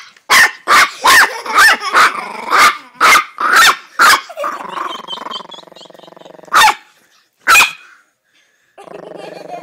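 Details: Small pet Chihuahua giving rapid, sharp yapping barks about twice a second for four seconds, then a sustained, rough, harmonic growling whine, two more isolated yaps, and a quieter low rumbling growl at the end.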